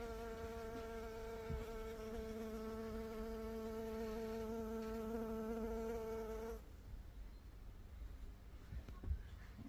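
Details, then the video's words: Steady, droning buzz of a honey bee, even and unbroken for over six seconds, then cutting off abruptly to a quiet, faintly rustling background with a few soft knocks. "honey bee sound | bee sound | bee buzzing sound effect"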